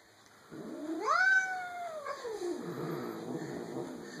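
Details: Pet cat at home making a funny noise: a single drawn-out, wavering meow that swoops upward then slides back down, with faint room hum behind.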